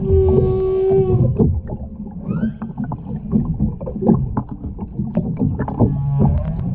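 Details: Underwater humpback whale song from the Ogasawara Islands, 23 February 2021, near a mother, calf and escort: a long steady tonal moan, then short upsweeping squeals and grunts over a crackling, bubbly background.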